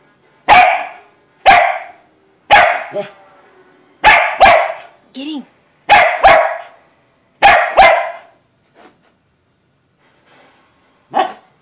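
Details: Corgi putting a gator in its place with a run of sharp, punchy barks, often in quick pairs, about one every second or two, then tapering off into near silence with a last lone bark.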